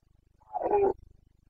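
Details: Red deer stag of the Carpathians roaring in the rut, the boncănit, Bucovina mountain forests, breeding season, 29 September 2022; one rough, harmonic bellow under half a second long over a quiet background.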